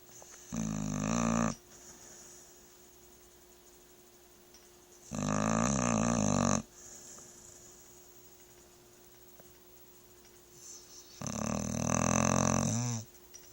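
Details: LaLa, a pet dog, snoring while asleep: three long, loud, rasping snores roughly five seconds apart, each lasting over a second, with quiet breathing between them and a steady faint hum underneath.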